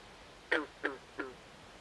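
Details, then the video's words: Frog in a swamp at night uttering three quick, harmonic croaks, each shorter and softer than the last, spaced roughly a third of a second apart over a soft background hiss. "Natural Ambient Sounds Of Frogs At Night"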